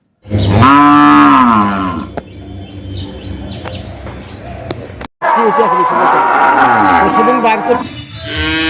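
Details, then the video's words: Calf mooing: a strong harmonic moo that bends downward, a lower murmuring stretch with clicks, then a long wavering moo and a brighter call at the close. "Cute Baby Cow Sound Mooing compilation 2025"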